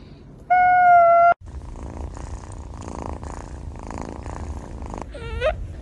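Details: A cat's brief, level meow is cut off, then comes a stretch of soft, rumbling, purr-like noise, ending in a short wavering chirp that bends up and down.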